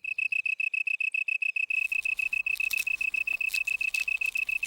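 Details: Male long-tailed tree cricket sings from a hole chewed in a leaf to amplify his call for females. Short, pure, high chirping pulses come in an even, rapid series, joined midway by a hissing insect chorus.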